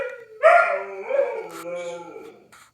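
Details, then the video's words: Dog howling during a tornado siren test: a short bark-like onset swelling into a wavering howl that dips and rises before fading out within a few seconds. "Dogs howling at the tornado siren test"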